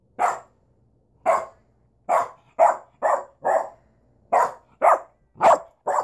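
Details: Duchess, a pet dog, barking in short sharp bursts, about ten barks in six seconds at an uneven pace, each bark loud and mid-pitched with a clear quiet gap between.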